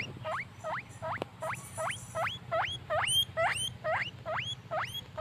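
Shrill, upward-sliding squeaks from a guinea pig come in a quick run, roughly two or three every second. A faint low hum lies underneath.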